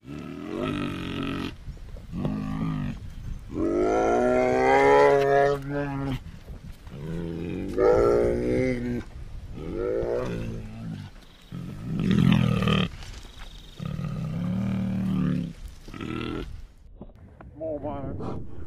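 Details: Bear giving a long series of loud, drawn-out bawling moans and groaning cries, each lasting one to two seconds with brief pauses between, some rising then falling in pitch, with rough grunting undertones.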